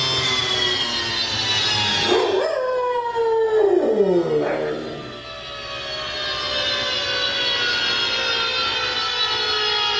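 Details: A male Rottweiler gives a drawn-out, wavering howl in response to a siren sound played on an iPod, over the siren's steady wail.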